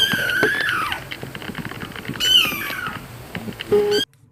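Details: Kittens meowing: thin, high-pitched squeaky meows that rise and then fall, one near the start and another about two seconds later, over a busy background of rhythmic clicks and music-like sound.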